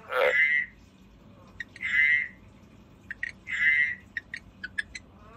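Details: A kept frog gives three separate drawn-out raspy croaks with a whistled edge, spaced about 1.5 seconds apart, with soft clicks and ticks in between; otherwise quiet.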